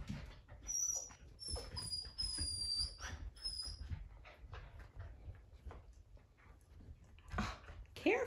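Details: Poodle puppies at play indoors: thin, high whistled squeals slide and waver in short bursts over the first few seconds, amid constant scuffling and patter of paws, with soft soft knocks and a brief yip near the end.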